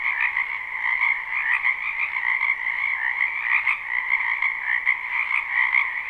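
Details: Spring wetland frogs in full chorus, a live recording without loops: countless overlapping croaks merge into one steady, pulsing trill that never breaks, with small swells in volume every second or so.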